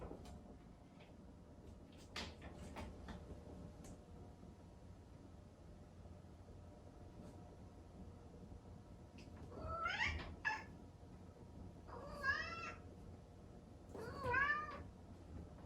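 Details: Young Exotic Shorthair cat crying at home in the early morning, wanting to see its owner after breakfast: after quiet knocks and rustles, three faint, wavering, rising-falling meows near the end, several seconds apart.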